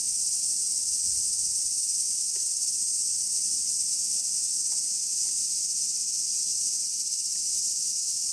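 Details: Cicadas on a hot summer day at Oike Park in Tokai, Japan; a steady, shrill, high-pitched drone that runs unbroken through the whole stretch, with faint low rustling of wind beneath.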